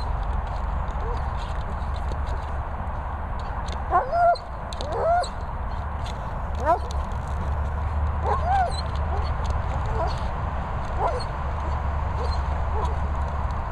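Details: German Shepherd at training and boarding kennels in the Worcestershire countryside, England; short high rising whimpers come in scattered bursts, clustered near the middle and later, over a steady low rumbling background noise.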